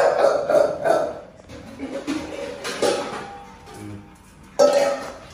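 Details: Indoors, music mixes with brief speech and clinking dishes, and no animal voice stands out.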